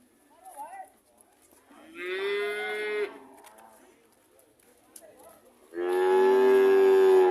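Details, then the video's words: Cattle mooing: a drawn-out harmonic moo around two to three seconds, then a louder, longer, strongly harmonic moo from about six seconds to the end, with faint softer sounds between. "Sound of cows"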